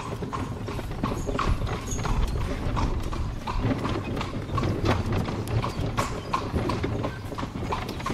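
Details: Cobbled street in Spain, traffic-free, as a horse pulls a carriage: repeated ringing clip-clop of hooves at a brisk pace, some strikes doubled, above a deep continuous rumble of rolling wheels and occasional squeaks.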